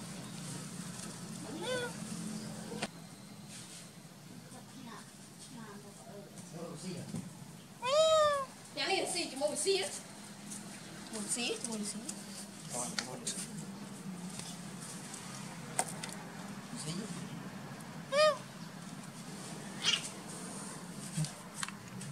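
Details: Orange cat, just met for the first time, giving several short harmonic meows, the loudest around the middle, amid rustling, a low hum and scattered clicks.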